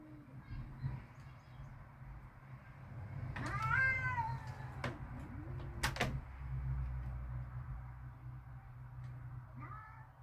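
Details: Cats outside in a backyard, described as mad and ready to fight, making baby-like sounds: a few drawn-out wavering yowls around the middle, with a short cry near the end over a steady low hum.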